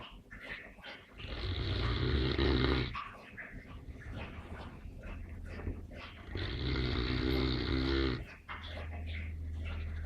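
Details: A sleeping Neapolitan Mastiff snores loudly: two long, rough, rumbling inhalations, each lasting about one and a half seconds, separated by quieter breathing.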